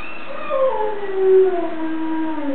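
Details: Young German Shepherd, 13 months old, howling along to a recording of another German Shepherd howling; smooth sustained howl gliding slowly downward with a brief swell in the middle.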